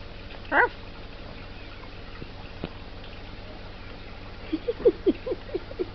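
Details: Puppy giving a short high squeak near the start, then a quick burst of thin, high-pitched whimpering squeaks toward the end, with light tapping and a faint room hum.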